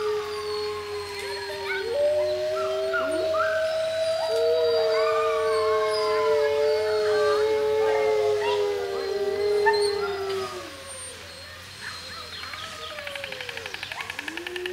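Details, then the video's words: Wolves at Monde Sauvage howling together with people: several long, steady, drawn-out howls overlap, some holding one pitch and others sliding up or down, fading out after about eleven seconds before a fresh howl begins. "huilen met de wolven (hurler avec les loups)"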